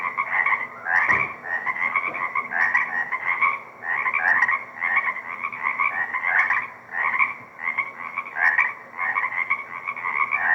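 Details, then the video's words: Swamp frog chorus at Deer Lake, recorded 4/2/24 through a shotgun microphone in a privately kept wetland remnant. Massed buzzy trilling comes in rolling swells every second or two, one short thump early on, faint steady hum beneath. "Deer Lake Frog Chorus - 4/2/24"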